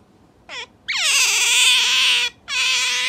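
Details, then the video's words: A pet otter being stroked gives three high, thin squeals, a brief chirp, then a long, wavering whine, then another cut off, in a quiet background; its voice sounds cute despite its expression. "なでなでされる表情と声にギャップがありすぎる voice is cute but face is an ugly otter"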